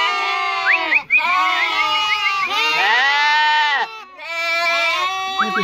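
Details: Turcana lambs kept for sale near Easter, several bleating at once: loud, rich, wavering bleats overlap continuously, one pausing briefly near the one-second mark before others resume.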